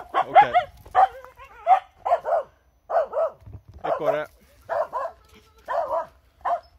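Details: Finnish Spitz, a hunting breed that barks when it finds game, outdoors while a squirrel is pointed out; sharp, mid-pitched barks come in quick pairs and triplets, roughly twice a second, with a few spoken words between them.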